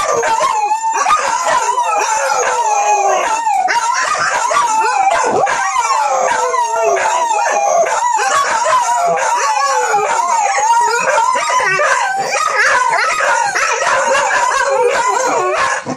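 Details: Monthy, a young female dog, in a long wolf-style howl, something she does about monthly. The voice quavers continuously in slow undulating bends for the whole stretch, with a dense layer of ticking and rustle in the background.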